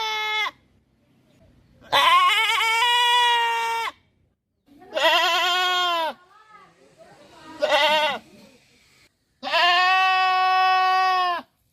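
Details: Goat on a farm giving a series of drawn-out, quavering bleats, each one to two seconds long, rich in harmonics and falling slightly at the end, with short silent gaps between them.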